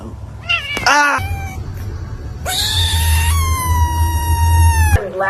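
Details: Aggressive cat giving a short rising yowl followed by a long, loud, steady drawn-out wail lasting over two seconds, ending abruptly, with a low rumble underneath.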